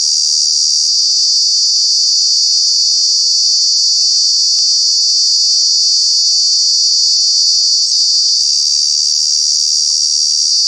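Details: Summer cicada at Kanha National Park, India, sustaining a piercing, even buzz for the whole stretch, loud and unvarying, with only tiny clicks breaking through.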